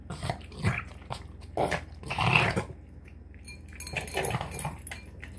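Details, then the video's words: Boston Terrier snorting noisily while eating a dinner of tuna, egg and kibble indoors; short broadband snorts and snuffles in bursts about every half second to second, with quieter gaps between. "Boston Terrier Snorting Sounds Like a Pig Snorting Down Dinner"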